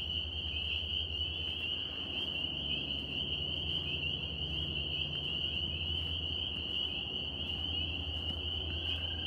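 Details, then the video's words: Northern spring peepers, tree frogs in New York, calling as a dense chorus that merges into a steady, shrill, high-pitched ringing with no gaps, over a low continuous rumble and scattered faint clicks. "Tree frog sounds NY"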